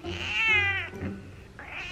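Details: Female domestic cat protesting while her nails are trimmed at home: a loud, drawn-out whining meow with many harmonics that falls slightly and fades, then a second rising meow begins near the end.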